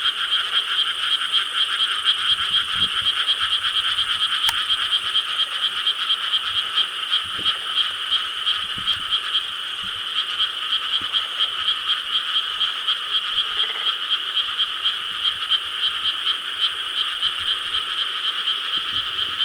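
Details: Summer night, 4 July 2013, in rice paddies in Korea: a dense chorus of frogs, many voices overlapping in a steady, rapid croaking.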